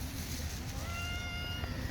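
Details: Stray cat in a park, fed under the shade of trees, gives a single steady, drawn-out meow lasting about a second over a low background rumble.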